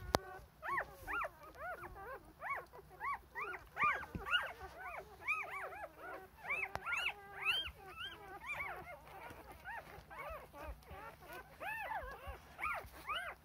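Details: Four-day-old Rough Collie litter wanting to nurse as the mother tends to their rear ends: a dense chorus of short, high, arched squeals and yelps, repeated many times and overlapping from several puppies, loud and insistent throughout.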